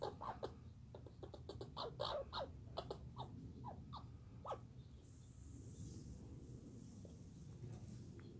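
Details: Douglas squirrel chatter from 2019, a fast rattling volley of crisp clicking notes for about four seconds that then stops, leaving a soft hiss of background noise.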